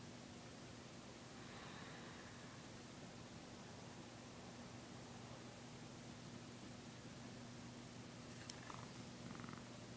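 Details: Pet cat purring while yawning, a continuous low droning purr holding steady for the whole stretch, with soft rustling and a couple of brief faint noises near the end.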